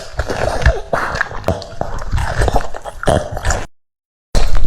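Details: French Bulldog eating cucumbers indoors: crunchy, irregular bites and wet chomping in quick bursts, a short silent gap near the end, then chewing resumes.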